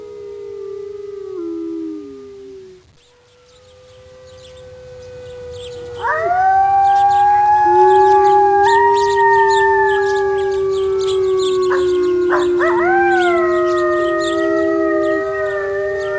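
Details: A mother wolf howls in long, smooth, sustained tones, with several voices overlapping into a chorus.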